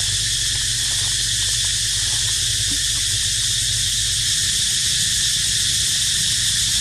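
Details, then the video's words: Cicada chorus: a steady, dense, unbroken high-pitched buzzing drone that holds at an even loudness throughout, with faint low rumbling beneath it. "Amazing Sound Of Cicada Crying"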